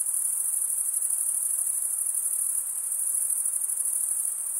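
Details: Crickets stridulating in a dense, continuous high-pitched trill with a rapid, fine pulsing texture and no breaks, steady in loudness throughout, with a faint hiss underneath.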